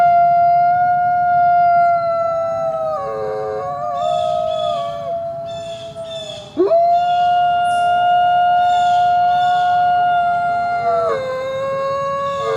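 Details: Coyote chorus of several overlapping drawn-out howls, wavering voices with brief broken yipping bursts midway, a sharp downward-upward swoop near the middle, then long level notes again.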